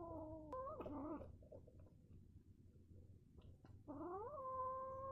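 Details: Mad male kitten giving strange low yowls, a wavering moan that breaks off, then a rising drawn-out wail at the end, with a steady low hum underneath.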